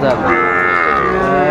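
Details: Sahiwal bull calves at a crowded cattle market on 20 April 2024: a single drawn-out, harmonic-rich moo holding steady for about a second, with voices haggling in the background.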